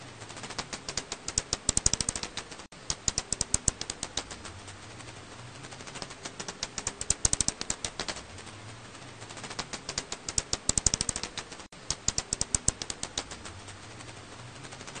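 A bat's rapid dry clicks come in bursts that speed up into rattling trains, then pause and begin again.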